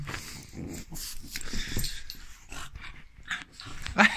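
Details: French bulldog reacting to profanities, giving a rough, breathy grumbling growl in uneven bursts over about four seconds, with a sharper noisy burst at the end.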